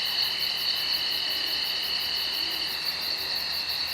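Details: Insects heard at night in a wood, giving a steady, piercing buzz of stacked high tones with a quick, regular, very high pulsing rhythm throughout.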